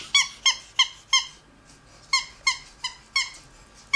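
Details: Pet ferret eating paste, giving thin, high squeaks with bright overtones, each short and slightly falling, about three per second in two runs split by a brief pause, in a quiet room.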